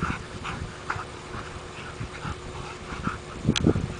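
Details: Two Rhodesian Ridgebacks, Mika and Khoi, wrestling in play in a yard: short whiny yips and whimpers in irregular bursts, mixed with low thuds and scuffling, ending with a louder tumble of bumps.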